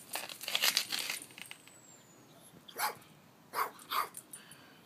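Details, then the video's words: Tito Puente, a Chihuahua rat terrier, guards the house in Palm Springs with a burst of sharp barks early on, then three more single barks spaced a second or less apart, while an owner urges him on. "Tito Puente guards the house in Palm Springs"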